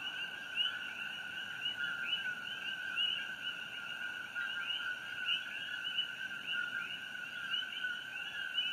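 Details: On Hawaii Island on the night of June 27, 2018, a dense chorus of coqui frogs calls beneath the Fissure 8 glow. Bright rising chirps follow lower steady tones again and again, with many callers overlapping.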